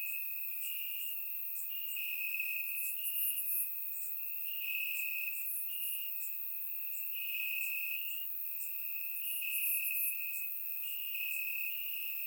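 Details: Many crickets chirp in the grass on a warm summer night in Bulgaria; an unbroken shrill trill holds steady while higher, clustered chirps come and go every few seconds, captured with a surround microphone.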